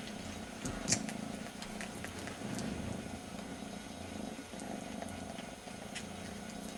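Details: A tiny kitten comforts itself by licking its brother's ear in place of its absent mother; a steady low purr rises and falls with breathing, with faint clicking licks.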